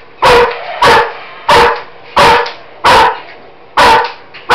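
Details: German Shepherd named Roxy barking indoors at a Roboraptor toy robot; seven loud, sharp barks at irregular intervals of roughly half a second to a second, with a mechanical whirring hum between them.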